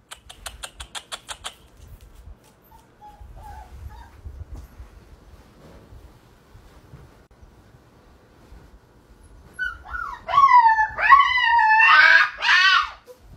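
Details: Siberian Husky puppy giving a run of wavering, whiny cries that rise and fall, growing louder and more strained over the last few seconds, after rapid clicking pulses at the start and a long quiet stretch.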